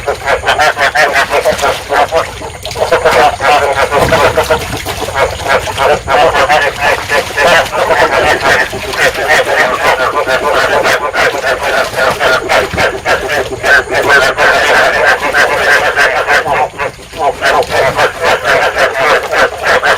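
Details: Breeding chorus of field frogs, used as a lure for catching them; many voices produce a continuous stream of fast, nasal, repeated croaks, with a short dip in loudness around the seventeenth second.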